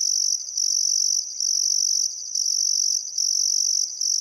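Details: High, shimmering cricket chorus on a calm summer evening at the Barcoo River, Welford National Park, Outback Queensland; continuous trilled bursts repeat with brief dips roughly every second.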